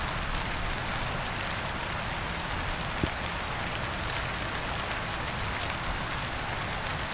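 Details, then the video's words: Rainy-day cricket gives evenly spaced, high-pitched chirps about every half second, clearly standing out above a dense hiss of falling rain and occasional drop impacts. "cricket chirping on rainy days"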